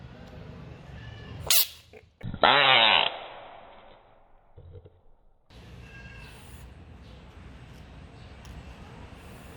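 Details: An American bullfrog, seemingly angry at a toy dinosaur, gives a brief harsh cry, then a longer loud, wavering scream-like call.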